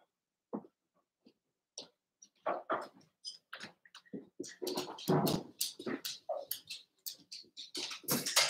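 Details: Three Cavalier King Charles Spaniel puppies, Cooper, Conner and Jenny, born 06/09/2022 with Ruby and Blenheim coats, overnight on a live puppy cam: scattered short whimpers and squeaky yips among scratching and rustling, growing busier and denser toward the end.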